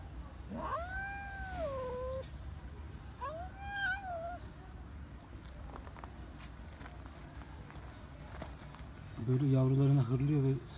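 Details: Neutered female cat growling at and attacking her own kittens: two bent, whiny yowls in quick succession, then a few seconds of quieter shuffling and talk, ending with a loud, low, rough harmonic sound lasting about a second.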